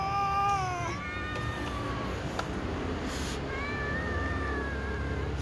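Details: Cats meowing to be fed, several together: a falling, drawn-out meow at the start, a quieter wavering cry, then another long level meow later, with low rumbling noise underneath.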